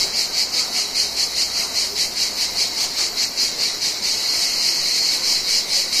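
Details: Mediterranean cicadas in summer ambience: a dense, hissing buzz pulsing steadily at roughly two and a half beats per second, high-pitched and continuous, with a slight swell in loudness toward the end.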